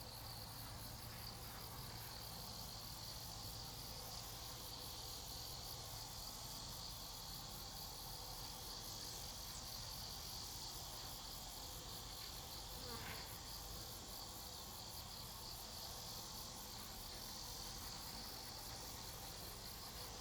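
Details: Grass insects singing steadily: a continuous high shimmering chorus of pulsed trills, unchanging over twenty seconds, with a faint low hum underneath and one brief soft sound near the middle.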